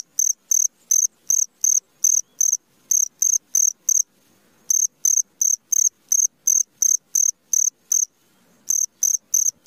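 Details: Cricket calling at midnight: loud, high, ringing chirps about three per second, in runs broken by brief pauses near four and eight seconds, over a quiet, still background.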